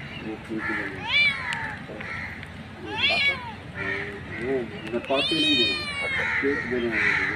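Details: A mother street cat meows for her kittens with several rising-falling calls, mixed with lower, shorter cries and steady background noise.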